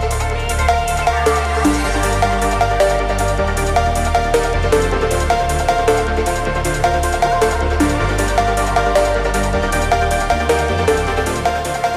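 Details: Loud electronic dance music with a steady pounding beat and layered synth tones throughout.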